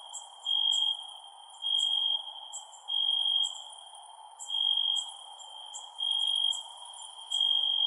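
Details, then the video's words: Cricket sound at night, a thin continuous ringing tone with six loud buzzy bursts repeating about every one and a quarter seconds, plus faint sharp high chirps and steady soft hiss. "Cricket Sounds @ Night"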